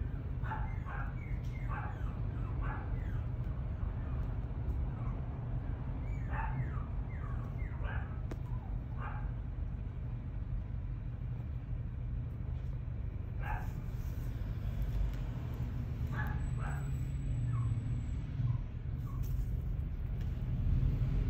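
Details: Chiweenie puppy at a breeder yipping in short clusters, a run of quick high yelps early, a pause, then a few more, all over constant low-pitched hum.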